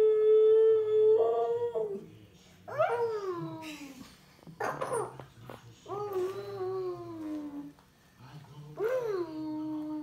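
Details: Five-year-old Siberian Husky howling together with a toddler almost 15 months old in a small room; sustained wavering howls and sliding notes mixed with the child's babbling voice, alternating over ten seconds.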